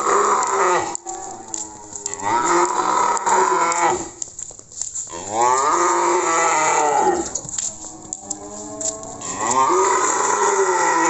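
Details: Cattle, Simmental and Limousin, being delivered to Magelang, Indonesia, giving several long, loud harmonic moos with pitch bends, one after another with short gaps, the calls filling most of the recording.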